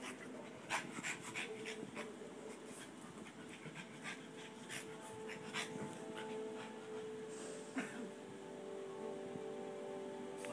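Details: Play fight between two pet dogs, a Boston Terrier and a Pomeranian; low continuous growling under fast, regular panting, with a faint steady hum and a few sharp clicks of movement.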